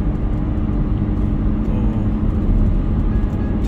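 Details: Steady low rumble of passing road traffic, with no animal voices audible. The sound stays dense and even throughout, dominated by deep engine and tyre noise.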